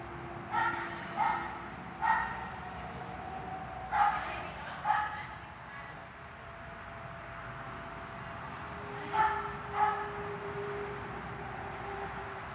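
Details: Barking Swiss dog during hall training, 13 August 2021: clusters of sharp barks, five in the first five seconds, then a quiet stretch and two more near the end, with steady tonal hum behind.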